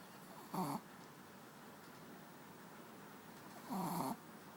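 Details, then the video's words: Pet dog Manja sleeping on a bed gives two snoring breaths about three seconds apart, the second longer, each a buzzy rattling inhale over a hushed indoor background. "Dog snoring"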